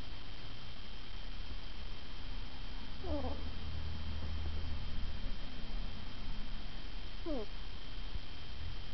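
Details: Sleeping ferret snoring: two short descending whistled squeaks with stacked overtones, about four seconds apart, over a steady low rumbling hum.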